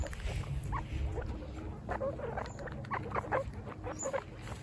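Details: First picnic for baby guinea pigs; scattered short squeaks, sparse at the start and then coming in quicker clusters, set against a low rumbling background.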